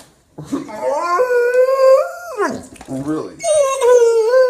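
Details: A Bernese Mountain Dog puppy gives drawn-out, wavering howl-like moans that rise, hold, then slide down, noises it makes every morning.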